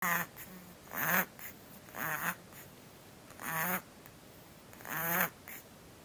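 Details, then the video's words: A kitten with a breathing problem gives harsh, raspy, quacking breaths about every one to one and a half seconds. Each is a buzzy, wavering sound with a low tone and a hissing edge, and a short softer wheeze follows some of them. "Kitten breathing problem"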